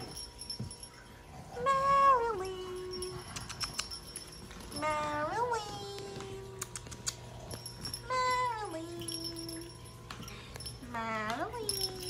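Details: Female micro teacup silver poodle puppy indoors, giving four drawn-out whines about every three seconds, each starting high and sliding down to a lower, steady tone, with faint clicks and a low steady hum behind.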